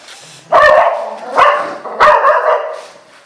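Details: English Cocker Spaniel puppies, four of them, giving three loud, short, harmonic yapping barks spaced roughly every half to three-quarters of a second, preceded by a faint low hum.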